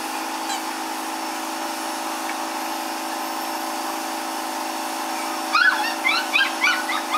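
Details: Three Miniature Schnauzer sister puppies born on April 10: after five quiet seconds of steady mechanical hum, a quick run of high, thin whining yips rises and falls several times in close succession.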